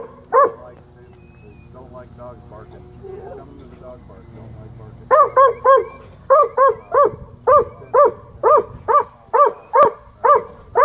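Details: Rescued black and tan coonhound at a county dog park gives high-pitched barks aimed at fish it then dives after. One bark, a quiet pause with faint voices, then a steady run of sharp, ringing barks roughly once per second.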